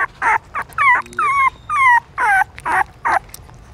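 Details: Newborn puppies suckling their mother's milk in a pagoda stupa in Siem Reap, Cambodia; high whining squeals in a rapid series of about eight, some sliding downward with harmonic overtones, separated by short pauses.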